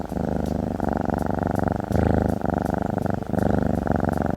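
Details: A domestic cat purrs in a steady, deep, throaty rumble that pulses with each breath, a motoring sound of contentment most often made when the cat is in the best of moods, such as while petted in a lap.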